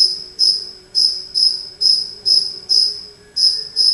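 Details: A cricket inside a house sings loud, high, tinny chirps spaced about half a second apart, each a short bright pulse, with a soft steady hum underneath.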